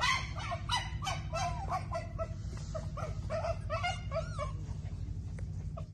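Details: Toy poodle puppies: short, high yips and whimpers in an uneven series, a few sharp barks among them, over a constant low hum.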